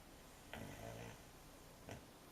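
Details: American Cocker Spaniel puppy asleep indoors, snoring: one drawn-out low rasping breath, then the start of the next, over a steady quiet room hiss.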